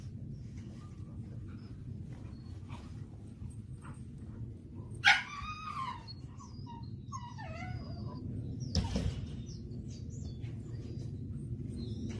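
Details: Jindo dogs, black-and-tan and yellow, playing happily in a snowy field in Gapyeong, Gyeonggi Province: a few high whining yelps mid-way, arching up then sliding down, a short bark-like burst later, all over a steady low wind rumble.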